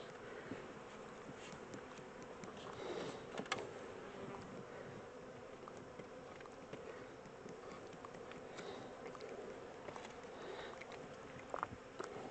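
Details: Honey bee swarm, the second one caught, being moved from a small temporary box into a larger hive; a soft, steady mid-pitched droning hum continues throughout, with faint scattered ticks and rustles.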